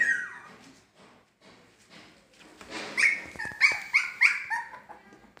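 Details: Young Siberian Husky puppies, 21 days old, play-fighting together: a falling whine at first, then a run of four or five high squealing yips about half a second apart, with soft scuffling between.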